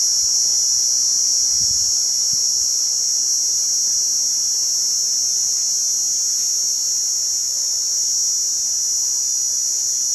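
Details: Cicada call: a steady, high, hissing drone held without a break, with faint low rumbles in the background.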